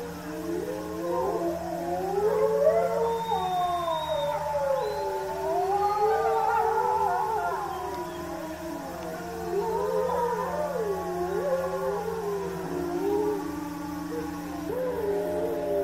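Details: A pack of Eurasian wolves (Canis lupus lupus) at Tama Zoo, 15 September 2015, howls together in a chorus, many long voices rising and falling in overlapping wavering tones.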